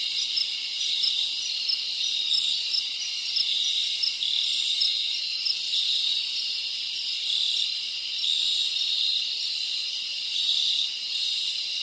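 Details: A Dominican Republic cricket ambience in rainforest: a thick, unbroken high trill from many insects, with regular brief chirps repeating over it and small surges in loudness.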